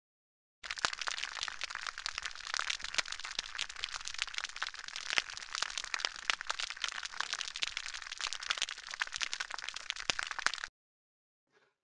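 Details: Snapping shrimp on an estuarine reef fill the water with a dense, crackling hiss of countless sharp snaps, likened to the snap, crackle and pop of Rice Krispies cereal.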